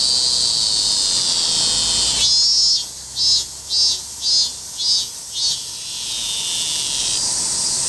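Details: Piercing buzz of a robust cicada holds steady at first. After about two seconds it shifts into a run of six evenly spaced throbs, roughly two per second, then returns to a continuous drone.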